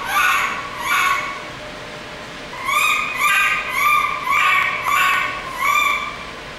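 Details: Panicked baby monkey held in a lab, letting out loud strained screams: two long shrieks, a brief pause, then a fast run of five or six harsh harmonic cries in quick succession.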